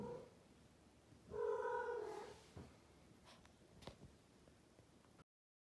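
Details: Blue Maine Coon female cat indoors giving one firm, level meow of about a second, preceded by a soft short call and followed by small clicks and taps before the sound cuts off.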